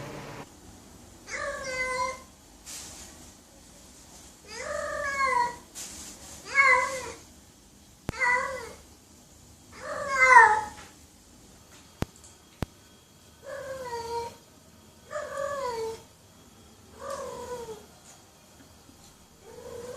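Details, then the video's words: Domestic cat meowing at intervals of a couple of seconds, each call a short falling mew, over faint room noise with a few sharp clicks. "The Ultimate Cat Meowing Compilation - Cute and Funny Cat Sounds for Everyone!"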